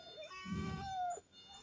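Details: Domestic cat making a short, thin tonal meow that holds level then drops away, preceded by a low murmur of voices speaking Bengali nearby.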